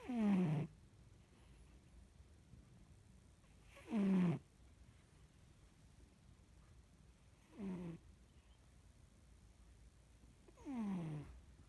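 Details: Cat snoring while asleep: four rough descending breath snores, each under a second, roughly every three to four seconds, with low steady background hum between.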